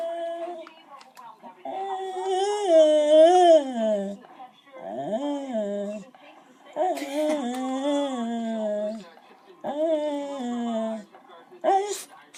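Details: A female beagle, seeing another dog, makes long, wavering, whining yowls that swoop up and down in pitch, almost like talking.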